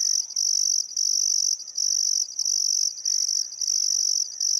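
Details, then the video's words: Sunset chorus of crickets by the Barcoo River in Welford National Park, Outback Queensland, on a still summer afternoon; a shrill continuous trill with brief gaps every half second or so, and soft distant birdcalls underneath. "Australian Sunset Chirping Crickets"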